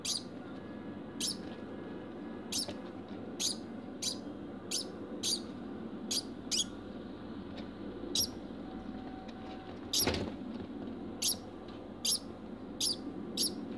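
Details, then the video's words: A pet degu named Bambam barking after mating: short, sharp, high-pitched bursts repeated roughly every second, some in close pairs, over a steady low background hum. "Degu Barking (post mating)"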